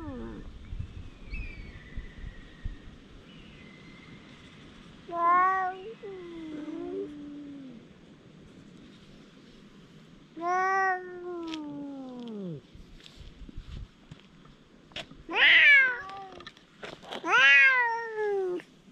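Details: Stray cats in a confrontation yowl at each other, drawn-out harmonic wails bending downward, several long calls separated by pauses and growing louder and harsher toward the end, with faint background hum.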